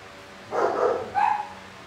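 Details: Great Dane named Rainbow giving two barks: a longer, rough first bark of about half a second, then a shorter, sharper and higher-pitched second bark, over a quiet indoor background.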